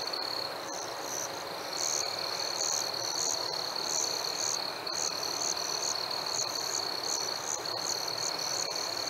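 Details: Summer-evening crickets: one steady high-pitched trill runs throughout while brighter chirps come in uneven bursts, with a few faint clicks over a constant hiss.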